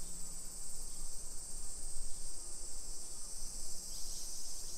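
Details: In a residential hillside street near Nagoya, Japan, at 1 PM on 28 July 2021, summer cicadas make a constant sizzling high buzz, with rhythmic low rumble from walking below it.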